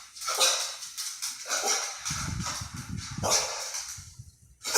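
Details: Dog barking at a ceiling fan; four loud, harsh barks come roughly every one and a half seconds, with low rumbling noise between them.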